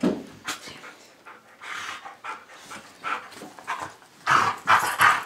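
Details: Play fight between a pit bull pup named Cosmo and older golden retriever Bailey: panting, grumbling growls and scuffles, ending in louder harsh snarling bursts.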